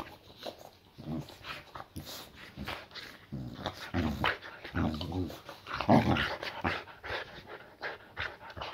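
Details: Layla, a female boxer dog resting a muscle injury, greets her owner home from work indoors with low rumbling growls and grumbling vocal bursts, irregular and throaty, with a man's voice mixed in.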